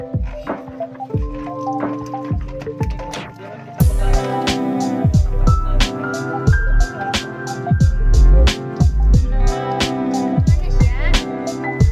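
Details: Upbeat background music with sharp percussive beats runs throughout, mixed with squishy splashing and dripping water sounds.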